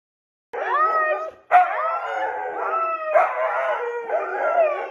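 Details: Pet Siberian Husky being dramatic, giving wavering, whine-like howls in two long drawn-out bursts, the pitch sliding up and down through rich harmonics, with a sharp break about a second in.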